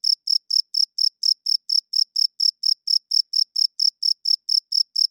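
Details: Loud night chirping of a cricket: crisp, high, evenly spaced pulses, roughly four per second, each a short bright burst, over an otherwise silent background.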